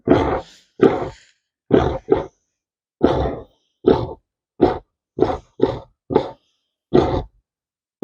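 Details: A Tamworth sow on pasture gives a series of short, deep, rough grunts in an irregular rhythm. These are described as happy-pig noises, and the owner suspects she is pregnant.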